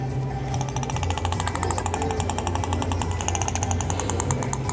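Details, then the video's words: Killer whale, whose pods each have their own dialect of calls, gives a rapid, buzzing train of pulses like a rattling creak over a steady low hum. "Killer whales communicate with each other using all sorts of sounds. Let's listen."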